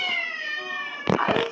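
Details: Pet cat, living apart from its owner, calls out on hearing her voice during her visit and runs from a room. A long, drawn-out, tonal meow slides gently downward for about a second, followed by brief thumping, rustling noise.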